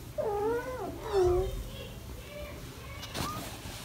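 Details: British Shorthair cats indoors, a family with four kittens almost five weeks old: two drawn-out, arching, tonal meows in quick succession, then a softer short mew and a faint rising one near the end over low room hum.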